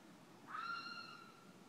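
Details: A single drawn-out cry from a fisher in a front yard in the middle of the night, rising sharply, then holding a steady, slightly falling wail with clear overtones before fading, against soft night background noise.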